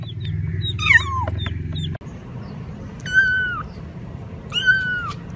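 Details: Cats meowing: a falling mew at the start over low rumble, then two longer, level, drawn-out meows about a second and a half apart.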